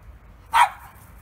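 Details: Ginny, a pet dog, barking at little birds: one short, sharp bark bursting out loud and clear against a quiet background hum, with nothing before or after it.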